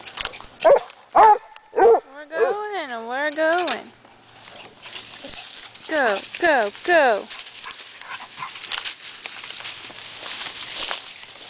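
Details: Basset hound and chiweenie hunting for a rabbit in home woods; a few sharp yelps, then a longer wavering bay, a pause, and a short burst of arched baying notes over faint rustling.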